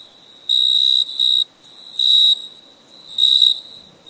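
A cricket gives bright, high, steady trilled chirps in short bursts of uneven length.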